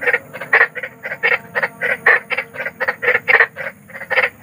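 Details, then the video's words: A big frog croaking in the wild at night: short broadband croaks repeated roughly three to four times a second, steady and insistent, with a faint low hum underneath. "SUARA KODOK || KODOK BESAR || SUARA KODOK SERAM"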